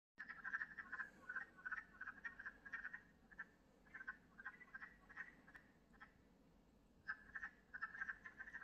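Wood frogs give rapid, duck-like clucking calls in overlapping bursts.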